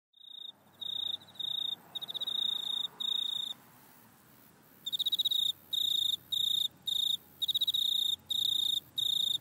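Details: Grasshopper recorded with an iPhone in a back yard: high, pure-toned buzzy chirps in bursts roughly half a second to a second long, with short gaps, and a quiet stretch midway before the bursts resume more steadily.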